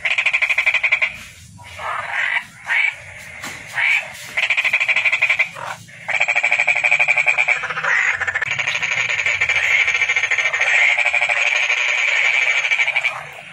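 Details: Toad call heard as short croaky bursts early on, then a long, unbroken high pulsed trill carrying on for more than seven seconds.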